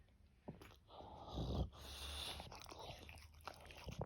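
An English bulldog snores, with a low rattling rumble followed by a breathy, wheezing exhale.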